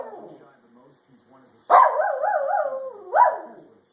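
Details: A pet dog howls and whines, holding a wavering, wobbly mid-pitched tone for over a second, then giving a shorter rising cry; a person's soft speech is heard just before.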